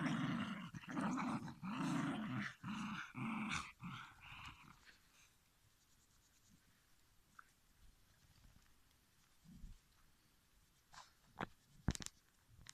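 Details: Shiba Inu grumbling in short repeated growly bursts for about four seconds, then near quiet with faint rustles and a few sharp clicks or knocks toward the end.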